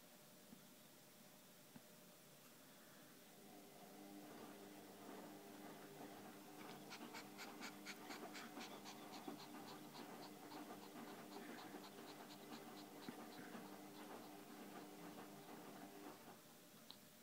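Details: Domestic cat panting: quick, breathy, rhythmic puffs of air, roughly four per second, starting after a quiet stretch and running steadily to near the end over a faint, steady background hum.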